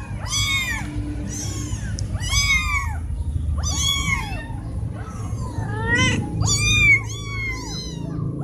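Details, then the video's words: Four cats call insistently for food or attention, a near-continuous series of strong arched meows about every second, voices overlapping, with a low background hum throughout. "4 Cat Meowing So Loud, I Must Close My Ears Now"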